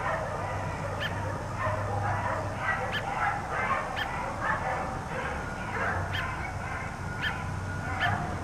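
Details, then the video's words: Four dogs kept outside all day by neighbours bark in a steady run of short, sharp yaps, roughly one or two a second, over a constant low mechanical hum. "4 Dogs Barking Allday"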